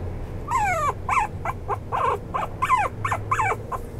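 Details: Whining Maltipoo (toy poodle crossed with Maltese) producing a rapid string of sharp, descending yips and whimpers, each sliding downward, about two per second over a low steady background hum.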